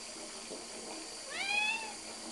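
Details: Domestic cat named Grace Jones near a bath she is said to love, giving a single rising then level meow lasting about half a second, with a steady hiss of running water from a tap throughout.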